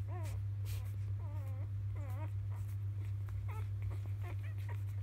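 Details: Field-line Labrador Retriever puppies on their third day of life, feeding from mother biscuit at evening nursing time; drawn-out quavering whines alternate with short squeaks, with a steady low hum underneath.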